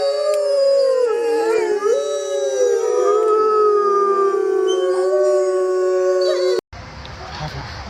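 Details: Wolves howling together: several long, smooth, overlapping tones that hold steady and bend gently up and down for over six seconds, ending abruptly in a short burst of hiss.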